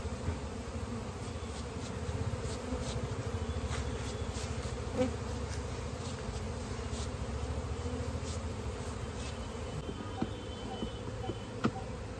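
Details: Honey bees at a hive being harvested for natural honey in a village in India, giving a steady, deep, rough buzz for twelve seconds, punctuated by occasional clicks and soft knocks.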